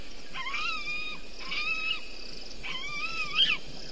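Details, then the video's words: Bushbaby calling at night (04:35) at Gowrie dam waterhole, Djuma Game Reserve, Sabi Sand Wildtuin, South Africa; three drawn-out wavering harmonic cries about a second apart, each rising then falling, over a steady hiss. "Is that Bushbaby audio again?"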